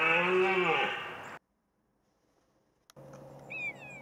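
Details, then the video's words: Red deer stag roaring during the rut at the Rennsteig forest in Thuringia, 2014, recorded on a hunt; one harsh, harmonic roar of about a second that drops in pitch at its end, followed by silence and faint forest background. "Roaring red stags in Thuringia"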